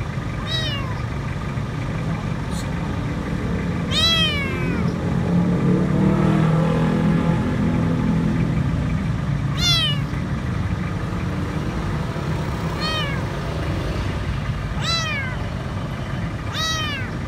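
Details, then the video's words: Scared, dirty stray kitten crying out for food from under a food truck at a grocery store: short, high meows repeated at irregular intervals, partly overlapped by a mid-clip swell of low engine and street noise. "Poor little kitten is afraid and asking for food"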